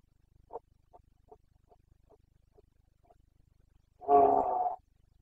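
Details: Carpathian stag roaring in the Bucovina mountains during the breeding season, 29 September 2022. A run of soft, short grunts about every half second leads into one loud, drawn-out harmonic bellow near the end.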